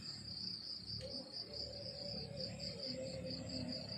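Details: Morning countryside crickets give a high, bright chirping of evenly spaced pulses running continuously, with faint lower tonal hums in the background.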